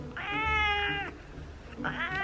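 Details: House cat, a female, complains during a nail trim indoors: two strained meows, the first long and level for almost a second, then a pause and a shorter second meow rising at the end.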